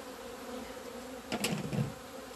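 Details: Honey bees out in the sun on 17 February 2020, the first day they left the hive after two months of winter. Steady low humming drone with a brief burst of clicks and a louder buzz midway.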